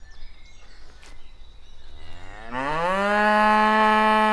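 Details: Cow heard among walking cattle: a long, loud moo rising from a low groan into a sustained rich harmonic bellow, preceded by soft shuffling and footstep noises.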